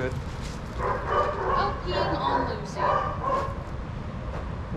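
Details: At a dog daycare, adoptable shelter dogs running and playing let out quick clustered barks and yips, several in a row, against a low background rumble.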